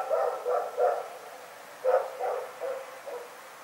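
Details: Rex, a dog, barking at night in a fast, uneven string of about eight short, hoarse barks, three together, a brief gap, then five more tailing off quieter, with faint hum behind.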